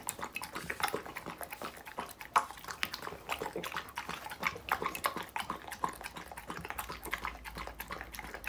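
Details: Close-up recording of a dog eating raw meat, chicken and vegetables, with busy, irregular chewing: wet smacks and crisp crunches in quick succession and a sharp loud snap about two seconds in.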